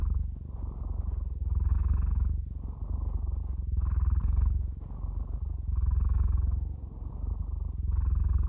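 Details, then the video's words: Relaxing close-up of a cat's purr: a rumbling, buzzing low drone in regular breathing cycles, each swell lasting about a second, with a brighter exhale phase and a duller inhale phase. "Cats Purring"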